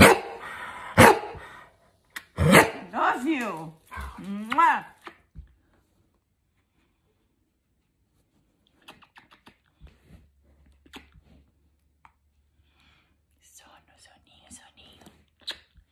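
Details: Elderly 17-year-old male dog protesting at being kissed indoors; a sharp bark, then wavering, whining grumbles over the first five seconds, followed by near silence with faint distant voices and small noises.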